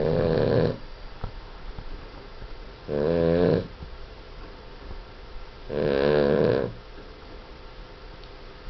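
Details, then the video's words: Boston Terrier, a pet dog, snoring very loudly while asleep: three rasping, buzzy snores, each under a second long, come roughly every three seconds. Soft breathing is heard between them, with no other sounds. "The loudest snoring Boston Terrier ever!!!"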